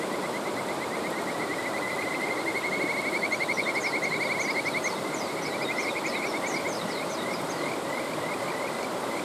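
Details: Kajika frog by a mountain stream, giving a long, rapid trill of rising whistled pips, then a faster series of high chirps layered above it, all over the constant roar of running water.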